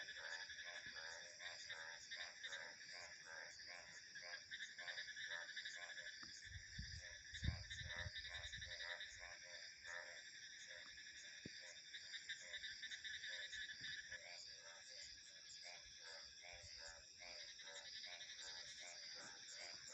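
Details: Frogs calling in a nature ambience with insects and crickets: rapid pulsed croaks repeat in a steady chorus over a constant high cricket buzz, with a brief low rumble of wind near the middle.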